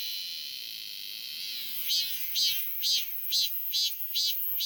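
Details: Robust cicada calling, welcomed back this summer: an even, shrill buzz gives way to eight strong rhythmic pulses, roughly two per second, riding on a continuous high-pitched drone.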